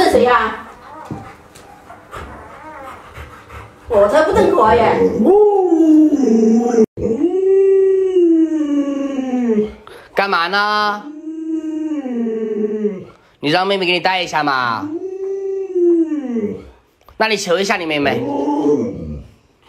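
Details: Alaskan Malamute Luoluo, kept as a pet, trying to rouse an owner who stays in bed though the sun is already high; long drawn-out howling whines that rise and fall in arcs, repeated in bursts, with human speech at the start.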